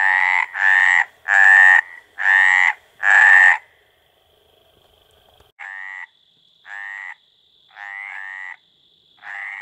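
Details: Male-style courtship croaking of the Mediterranean tree frog, Hyla meridionalis: five loud harsh croaks in quick succession, a pause of two seconds, then four quieter, more widely spaced croaks.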